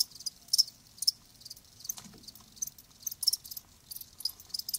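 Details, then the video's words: Live crickets calling: sparse high, thin chirps, single pulses roughly every half second to second, with a soft low thud near the middle. "Live Crickets 60min "Natural Sound""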